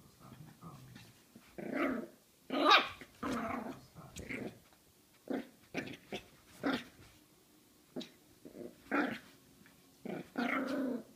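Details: Jack Russell Terrier puppy fighting with a mandarin indoors, giving a run of short growling barks and snarls in uneven bursts, some higher-pitched yaps mixed in.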